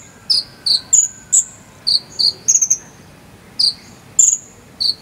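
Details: Cricket of the jangkrik sambung cililin kind, used as konin training material, giving sharp piercing chirps in loose pairs, some notes trailing downward, with a longer pause near the middle and steady faint background hiss.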